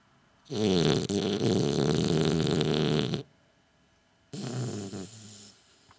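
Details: French Bulldog asleep, possibly with eyes open, giving a loud, long, rattling snore of nearly three seconds, then after a quiet pause a second, shorter and weaker rasping snore.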